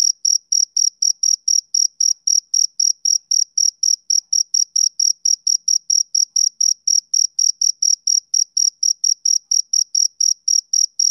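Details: A male cricket chirps on a summer evening, producing a fast, regular train of piercing short notes with a thin overtone above, steady in loudness throughout, with nothing else audible.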